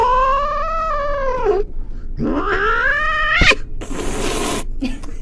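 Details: Domestic cat giving loud, drawn-out wailing meows: a long steady yowl that sags downward at its end, then a second rising, strained cry, followed by a burst of hissy noise.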